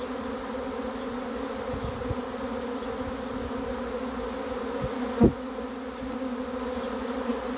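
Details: Honey bee swarm coming in during a capture: continuous thick buzzing drone holding a steady pitch, one loud knock near the end, soft low rumbles in the background.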